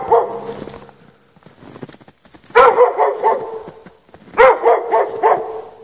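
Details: Dog left chained in snow after dark, no shelter, giving loud clusters of quick barks, a softer low sound opening the recording before two strong bursts.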